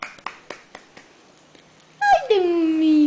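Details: Bagheera, a 7-week-old Great Dane puppy on her first day in a new home, gives a long whine sliding down in pitch indoors, after a woman's coaxing voice and a few sharp taps.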